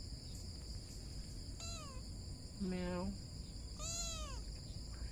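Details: A kitten sitting on a blue chair gives a few drawn-out, wavering meows that bend upward then fall, one every second or so, over a steady high whine and a low room hum, with a faint human voice nearby.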